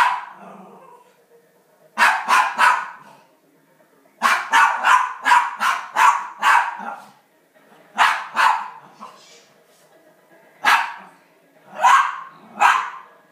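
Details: Pet rat terrier indoors barking while watching elk hunting on television: sharp barks in bursts of two to six, with short quiet gaps between groups.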